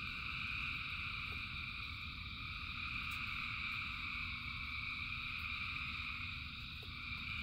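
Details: Frogs by the thousands sing through rain, a steady, even wall of high trilling calls from countless overlapping voices, underlain by heavy low rain noise and a few isolated clicks.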